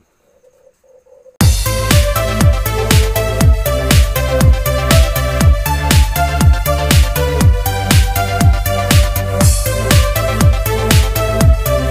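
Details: Steady electronic dance music with a driving beat about twice a second; no animal voice can be picked out.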